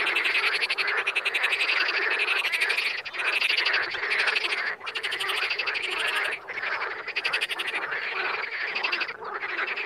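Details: Dense wild frog chorus of rapid clicking, rattling croaks, overlapping callers forming a continuous wall of sound broken by brief dips in loudness.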